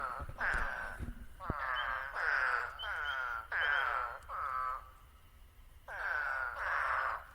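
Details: Eastern spadefoot toads call in the New Jersey Pinelands with hoarse, moaning "waaah" notes, each about half a second long and sagging slightly in pitch. Several come in close series, some overlapping; spring peepers also call.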